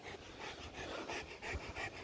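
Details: Rottweiler in Uttarakhand, India, just after injuring a goat, breathing hard: quick, breathy, rhythmic huffs roughly every quarter second, soft and close, with faint low rumbling underneath.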